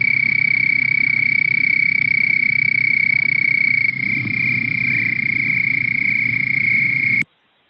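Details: A male Houston toad (Anaxyrus houstonensis), a species that breeds on cooler, dark, moist nights, gives a long, high, steady trill. It is the mating call that draws females to the breeding pond.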